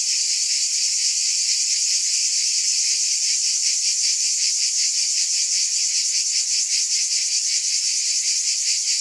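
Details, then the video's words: Steady, high-pitched buzzing from cicadas, a thick shimmering drone with rapid throbbing pulses and no pauses; no other sounds stand out. "Scintillating Cicadas"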